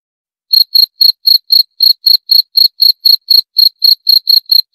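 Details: After half a second of silence a cricket starts chirping, giving crisp high-pitched pulses at about four per second in an even series, with a silent background.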